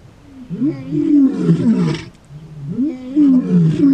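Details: A male lion from a coalition in Kruger National Park, South Africa, giving deep moaning roars, two swelling rising-then-falling phrases about two seconds apart, fairly loud, with faint rustling behind.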